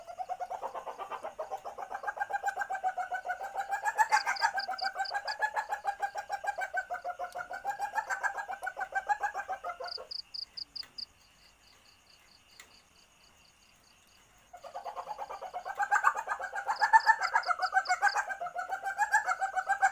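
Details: Lure recording of a female-in-heat Asian palm civet's mating call: fast, rolling cackle-like clucks repeated without a break, a quiet gap with high thin ticking, then the chatter resumes.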